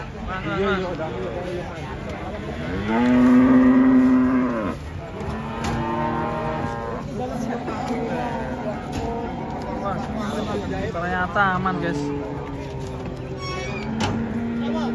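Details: Cows coming down off a truck, loud sustained moos that hold a steady low pitch for over a second, followed by several shorter wavering bellows from other cattle, over a steady background murmur.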